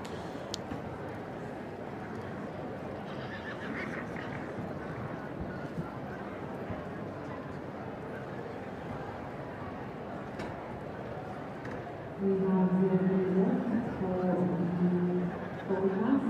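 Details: Young Welsh Cob foals at the Royal Welsh Show: Welsh-language commentary and crowd murmur for most of the stretch, then loud, wavering, harmonic whinnying over the last four seconds.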